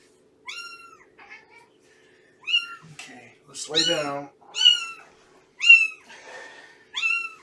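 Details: Cats in a Purrfect Pals foster home, where rescued mother cat Shelby is nursing kittens, give high, arched meows with rich harmonics, repeated roughly every second; a brief burst of human voice sounds midway over a faint steady hum.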